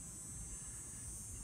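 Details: A distant chorus of cicadas makes a steady, high, unbroken buzz over low wind rumble on a fine afternoon in Green Bay, Wisconsin, while another cicada emerges from its shell nearby.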